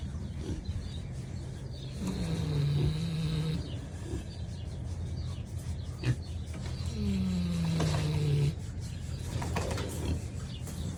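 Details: Kunekune pig snoring in its sleep: two long, slightly falling droning snores about five seconds apart over a low rumbling background.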